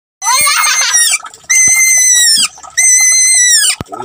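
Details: Pet bunny crying while being given a bath: three loud, drawn-out, high wailing cries, each about a second long with a gently falling pitch, separated by short gaps with faint splashing and handling noise.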